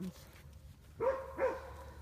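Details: Wolfdog at the Southern Ohio Wolf Sanctuary giving two short, arched, tonal whines about half a second apart, each rising then falling, over low rumbling background noise while a person talks affectionately nearby.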